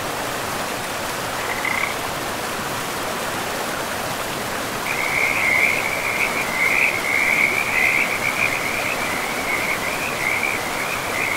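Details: Frogs calling by a river in a pristine forest: after a brief early burst, a steady run of pulsed, trilling croaks sets in, layered over a constant rushing of flowing water.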